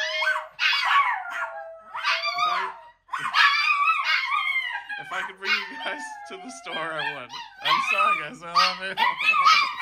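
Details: Chihuahuas howling together indoors with Paco, a Miniature Pinscher friend: overlapping wavering, yodel-like howls rising and falling in pitch from several dogs at once, with occasional short yips mixed in.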